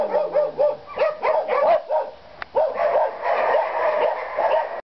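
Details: Young white shepherd dog, a Maremma mix with a wavy coat, kept behind bars in a shelter, giving a quick run of sharp barks, then a long steady whining cry.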